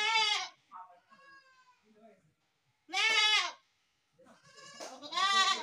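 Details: Goat, from a compilation of baby goats, giving three loud, wavering, strongly harmonic bleats spaced roughly two to three seconds apart, each about half a second long, with fainter murmuring voices and softer sounds between them.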